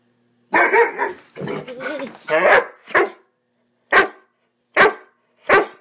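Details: Swiss Mountain Dog puppy named Bower, during one of its excited "bad dog runs": voiced, harmonic yelping barks in the first three seconds, then three sharp, separate barks spaced just under a second apart, with short silences between.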